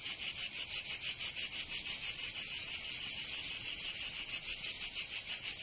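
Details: Summer cicada chorus from Provence in the south of France, a loud high-pitched rasping drone throbbing in regular rapid pulses, roughly three per second, unbroken throughout.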